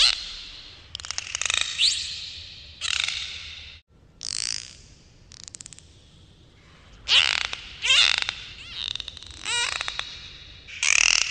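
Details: Dolphins underwater give grating buzzes and click bursts alternating with curving whistled sweeps and squeals, broken by a brief silence near four seconds and resuming in a lively chorus.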